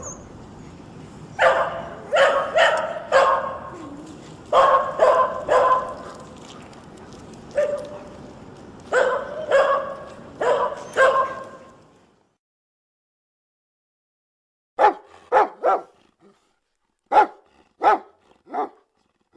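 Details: Dogs barking in a sound collection meant to set off a pet dog: clustered sharp barks in rapid bursts for about twelve seconds over low hiss, then near silence and a second run of cleaner, separate barks.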